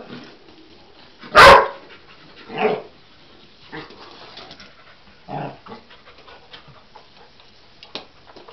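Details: Cocker Spaniel Husky cross reacting to a toy animal it seems to take for real: one strong abrupt bark, then a softer bark a second later, followed by faint scattered yips and rustling indoors.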